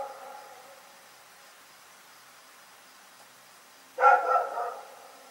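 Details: A dog called Rex at night: a fading bark at the opening, a long quiet gap with low hiss, then one loud double-pulsed bark near the four-second mark.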